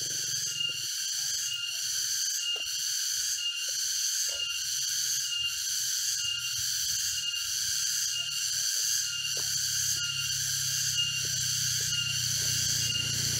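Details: Cicadas in an East Java forest near Jatiarjo, Prigen, Pasuruan, heard on a walk on 23 October 2020. A loud, sizzling, high drone beats rhythmically about once a second, with footstep-like clicks and a low hum below.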